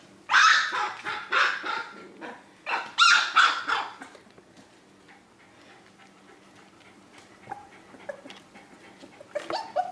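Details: Four-week-old Australian Terrier puppies during socialization at Dunham Lake Aussies, with sharp squeaky barks in quick bursts during the first four seconds, then quieter scattered yips and faint whimpers.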